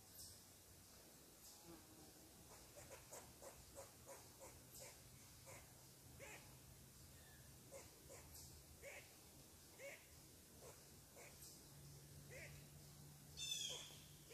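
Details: A squirrel barking in agitation at a person sitting on its tree: a long run of short, sharp, dry barks, roughly one to three per second, with a few louder bursts near the end over a steady low hum.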